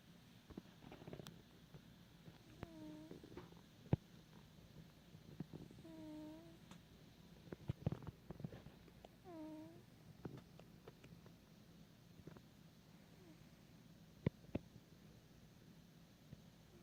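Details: A sleeping house cat makes soft, cute noises while asleep indoors. Three faint squeaky chirps, each bending downward, come about three seconds apart over a low steady background rumble and scattered small clicks.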